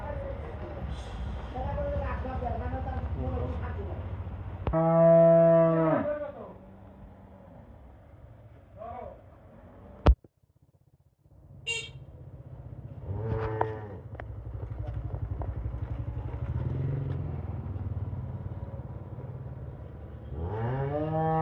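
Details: Healthy Holstein Friesian dairy cow on a farm lowing: a loud, deep harmonic moo near five seconds, further moos around thirteen and twenty-one seconds, with people talking, a sharp click and steady low background rumble.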